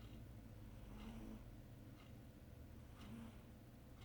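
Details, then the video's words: Charlotte, a pet cat, snoring while sleeping and dreaming indoors: soft breathy snores recurring about every two seconds, each with a faint low whine, over a steady low hum. "Snoring cat"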